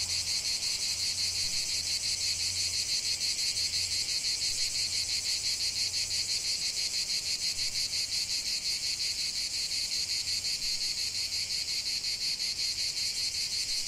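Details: Massed cicada song from a lavender field: continuous piercing, grating whir with a rhythmic throb near three beats a second, accompanied by a faint intermittent low hum.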